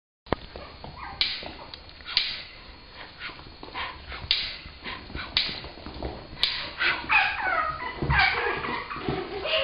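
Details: Two six-week-old female brindle Chihuahua puppies give short whimpers and high yips in irregular bursts, building to a run of rising, harmonic whining cries near the end, over light scuffling.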